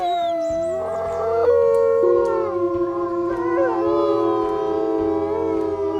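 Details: Wolf howls at night, a sustained, slowly wavering tone joined by higher sliding voices, while background music continues underneath.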